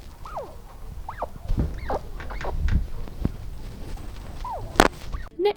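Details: Baby chinchillas nursing from their mother give soft, falling squeaks, a very quiet comfort sound of contentment, amplified for recording.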